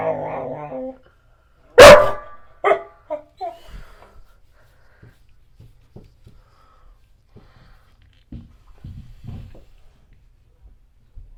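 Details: A black Goldendoodle barks at the owner's mother and a painter. One loud, sharp bark is followed by a few shorter, fainter barks, then quiet scuffling and soft knocks in a small room.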